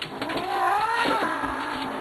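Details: Grumpy Manx cat, a male pet, giving a brief harmonic yowl that rises slightly and then sags, set against steady background noise, with a man reacting in speech around it.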